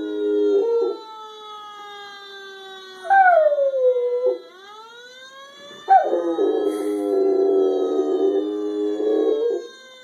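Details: Quiet pet Rottweiler bitch howling in response to a fire truck siren; long wavering howls with sliding and steady tones rise over a loud, harmonic siren that sweeps up and holds throughout.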